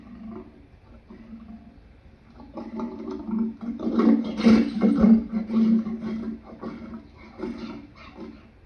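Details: Lion giving a rough, throaty roar in uneven bursts, loudest around the middle and then trailing off into shorter grunting pulses.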